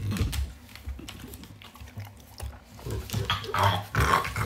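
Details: Begging French Bulldog grunts and snorts low and nasally in rapid uneven bursts, building near the end into louder, brighter whining sounds.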